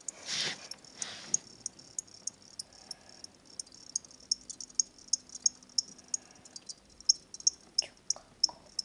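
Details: Two pet crickets from a petshop, where they are sold as reptile food, kept by a boy who got them for his name day. High, sharp chirps repeat about three times a second after a short rustle at the start.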